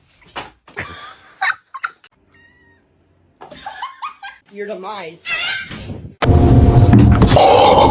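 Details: Domestic cat in a funny pet compilation giving a few short, wavering harmonic meows amid overlapping human speech and laughter, followed by a loud burst of broadband noise.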